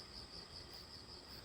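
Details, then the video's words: Crickets heard after rain stops along a walking path; a high, pulsing chirp repeats in quick even bursts, several per second, over soft ambient noise. "झींगुरों की आवाज़ सुनाई दे रही है।"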